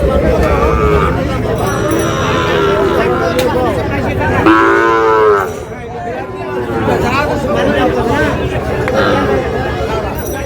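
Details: At a livestock market, a Sahiwal bull sought by a Dhaka farmer: one loud, full lowing moo lasting almost a second around the middle, with dense crowd talk and market bustle before and after.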